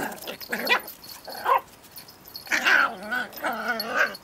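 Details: Two dogs, Pip and tiny female Bracken, play-wrestle over a twig, with Pip in Tornado Mode. Two short rough yelps come first, then a longer, wavering growl-yelp with rising and falling tones after a brief pause.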